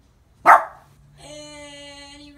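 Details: A Boston Terrier gives a single short, sharp bark at a Boston Terrier Christmas decoration she dislikes, followed by a steady humming electronic tone.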